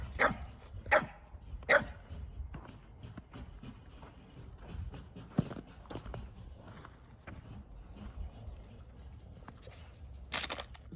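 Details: Sully the Boston Terrier, playing and trying to free a toy stuck in ice before his Keeshond brother Kumo chases him; a few sharp barks near the start, then scuffling and footsteps, with a person talking.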